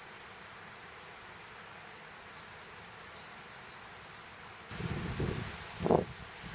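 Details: Platypleura kuroiwae cicada singing a steady, high, hissing buzz that holds without a break, growing louder and harsher partway through, with brief low rustling thumps near the end.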